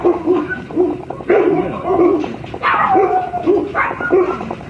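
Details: Mame Shiba-sized Shiba Inu puppy siblings giving short, high yips about every half second, with a longer sliding whine near the middle and light rustling and clatter behind.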